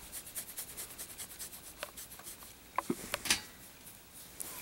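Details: Soft rhythmic rubbing and scraping in a small room, followed by a few sharp clicks and taps, with no animal voice.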